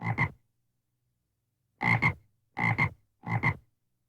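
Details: A frog gives a croaking series: one gruff two-part croak, a pause of over a second, then three more double-pulsed croaks in quick succession, each harsh and resonant with a low throaty base, no other sounds.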